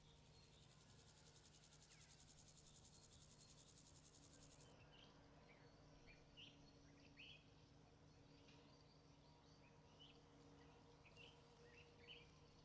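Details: Grasshopper chirping: a very high, fast, buzzy pulsed trill runs steadily for about five seconds, then stops abruptly, leaving scattered short bird chirps over a steady low hum.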